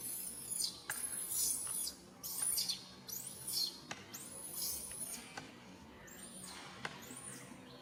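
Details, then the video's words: Baby monkey named Rain calling its mother Rany for help: shrill, high arched cries in quick bursts, repeated several times over the first five seconds, then fading to softer, sparser calls. "Po-or baby monkey RAIN calling mom RANY to helps but can't."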